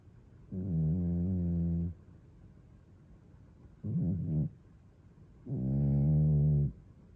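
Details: Snoring from a male British Shorthair cat (Toby or Fuku), recorded 17 July 2022 with an iPhone 13; three deep, buzzy, harmonic breaths, the first and last longer than a second, a shorter one between, separated by near silence.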